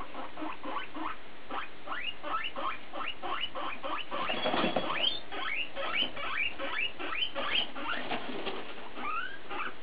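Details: Guinea pig chatter led by BooBoo: a fast string of upward-sweeping squeaks, louder and denser midway with a brief noisy rustle, then longer looping rising notes toward the end.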